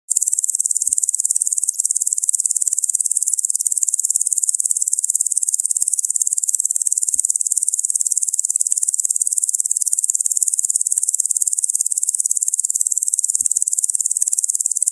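A locust gives a continuous, high-pitched, rasping buzz that pulses rapidly without pause.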